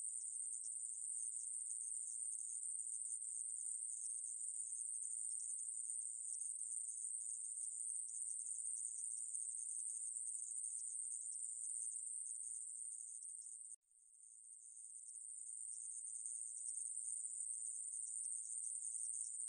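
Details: 애매부리, a conehead katydid, in a 2020 National Institute of Biological Resources recording from Korea: a continuous shrill buzz that drops out briefly near the fourteenth second, then swells back to full strength.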